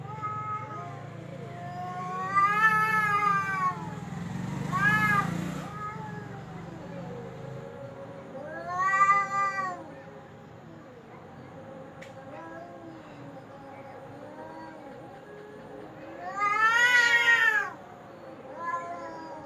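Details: Domestic cat giving drawn-out wailing caterwauls, rising and falling howls recurring every few seconds, with low rumbling background noise and a faint voice.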